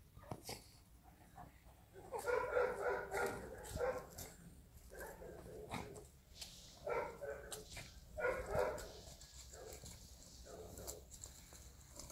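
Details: Playing Golden Retriever puppies yapping in rapid high-pitched clusters, bouts of several barks every few seconds, with faint rustling and a murmur of voices in the background.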